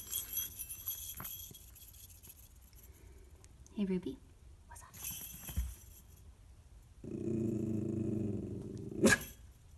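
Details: Pet Miniature Schnauzer Ruby, dressed as a reindeer for the family Christmas card photo, grumbles at joggers outside. People talk quietly first, then a low, sustained growl of nearly two seconds ends with a sharp click.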